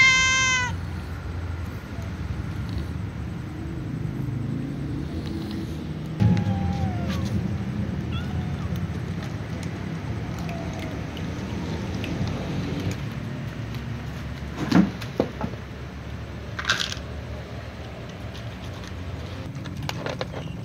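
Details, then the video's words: A calico cat meows, followed by a young white cat, before eating with other cats: a loud, clear, bending meow opens, then a softer, shorter meow comes around six seconds, over a low hum with occasional clatter. "Calico cat meows followed by young white cat before eating with other cats"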